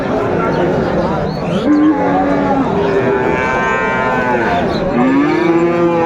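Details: Friesian and cross-breed bull calves at the Raniganj cattle market in Dinajpur on 2 May 2024. Several drawn-out, slightly rising moos overlap and follow one another, with steady crowd murmur and bargaining voices behind.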